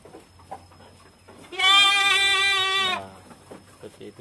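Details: Female goat in heat calling to be mated, kept on a goat-fattening farm: a single drawn-out, harmonic, slightly trembling bleat of about one and a half seconds, with soft scattered background noises before and after.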